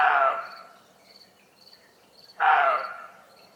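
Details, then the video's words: At 1:30 am in Germany, a roe deer gives two loud, hoarse barks about two seconds apart, alarm calls likely from being unsettled by humans or animals. "Sound scared barking deer - Germany"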